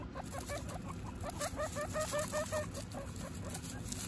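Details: Guinea pig family, mother Butter with her babies Lion, Tofu and Mochi, kept as pets; a run of short, evenly spaced chirping notes, stepping slightly upward, about two or three per second, over steady low background hum.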